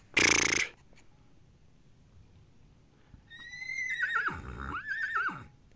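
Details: A Kurdish horse, tagged with Iran, gives a high, wavering whinny after a brief sharp noise.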